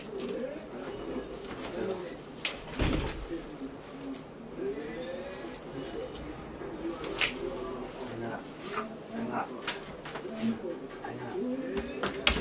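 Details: Shiba Inu named Chie, excited at play time on 3 March 2020 after a long spell without play: wavering, moaning whine-like vocalizations rising and falling in arcs, interrupted by soft clicks and knocks.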